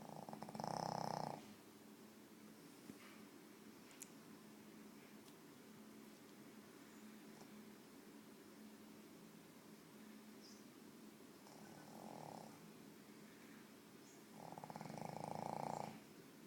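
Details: Pet pug asleep indoors, snoring in bursts: a buzzy, fast-pulsing rasp at the start, again briefly near twelve seconds and at the end, with long stretches of soft steady breathing in between.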